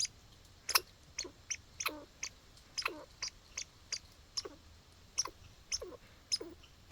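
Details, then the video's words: Hiccup-like calls from a squirrel in a backyard: a steady string of abrupt, dry chucks, roughly two a second, some with a short hooked lower tail, against quiet outdoor noise. "Sounds like squirrel hiccups..."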